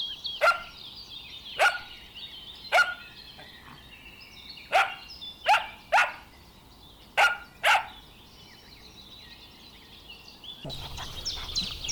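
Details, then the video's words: Dogs running and chasing on a lush meadow bark repeatedly, eight short sharp barks in irregular bursts, over continuous chirping and warbling birdsong. "Dog barking sounds"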